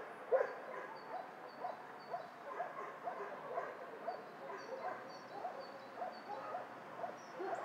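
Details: Dog shelter soundscape where many dogs bark at once, a continuous overlapping chorus of muffled barks and yelps that rises and falls about once a second, with one louder bark at the start.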